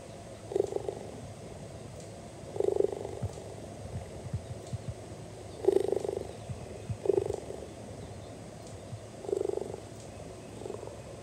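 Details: An 8-year-old hand-raised zoo cheetah, relaxed near its keepers, purrs in a low, rumbling rhythm with a burst on each breath about every two seconds. Cheetahs cannot roar.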